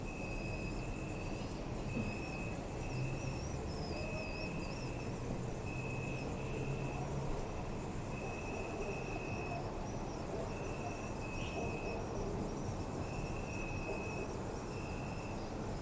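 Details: Crickets at night in a city park: a dense high trilling band runs almost without pause, and a steadier mid-pitched tone pulses in bursts of a second or so, over low rumbling city noise.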